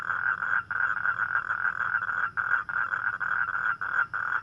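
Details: Nocturnal toad calling to attract a mate on a rainy night: a droning, pulsing croak broken into bursts under a second long, set against a busy chorus of similar calls and high faint ticks.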